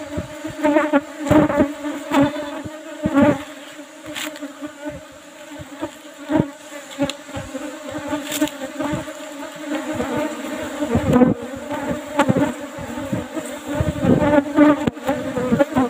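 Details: Asian honey bees (Apis cerana) at an old box hive with an asbestos lid during honey harvest; a steady, dense droning hum runs throughout, broken by frequent sharp knocks and handling clicks.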